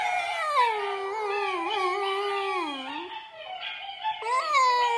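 A Basenji yodels in a long, wavering, tonal wail that dips low and then rises sharply.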